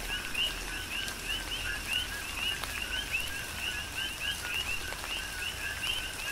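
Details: Big Island, Hawaii: coqui frogs call in a dense chorus amid a tropical rain shower, clear rising two-note chirps repeating rapidly and overlapping, set against constant rain noise and occasional louder drops.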